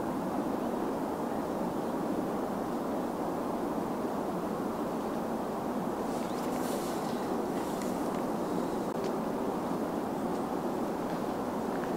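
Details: Steady broadband rumble like wind or distant traffic, with no animal calls.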